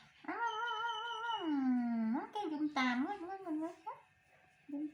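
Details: Baby male monkey seeking comfort and a hug from its mother, giving a long tonal wail that slides down and levels off, then rises into several shorter wavering cries before a brief pause and a final note.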